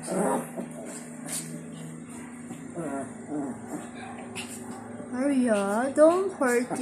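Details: Two Shih Tzus playing, a gray one-year-old named Arya Stark and her five-year-old mother Reneesme; high wavering whines and squeals in short bursts, rising and falling, with music and a person talking.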